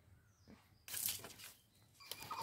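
A young rabbit gives harsh, shrill screams in two bursts after a quiet start.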